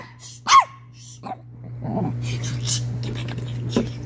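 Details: Chihuahua making weird noises: one sharp, high squeal that falls in pitch near the start, then soft snuffling and rustling over a steady low electrical hum.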